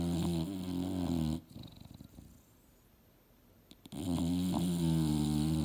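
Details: Sleeping on the couch, Mildred the English Bulldog dreams and snores: a low, droning, rattling snore, a quiet pause of over two seconds with faint breathing, then another long, loud snore.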